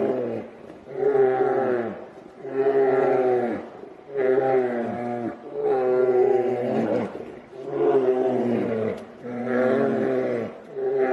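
Grizzly bears fighting give deep, harmonic roaring growls, each lasting over a second, repeated almost without pause.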